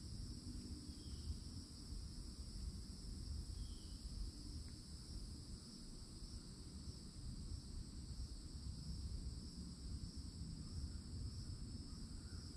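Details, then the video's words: Summer cicada chorus at the edge of a Florida forest, near an old oak tree, forms a continuous, even, high-pitched hum layered in bands, over heavy low rumbling background noise and an occasional faint chirp. "*CICADA SOUNDS*"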